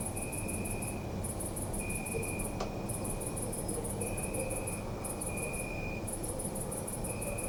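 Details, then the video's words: Crickets at night in a city park, rapid high pulsed chirps in bursts of about a second with short gaps, a lower steady trill, one sharp click, and distant low traffic-like rumble. "Night at City Park | Crickets"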